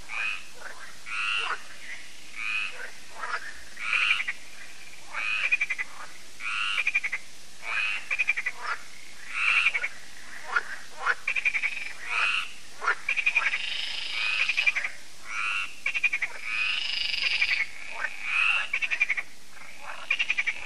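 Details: An evening frog chorus at a lake in France (Lac de Sabatte), heard yearly as solar lights come on, gives rapid, rattling croaks repeated in bursts about once a second.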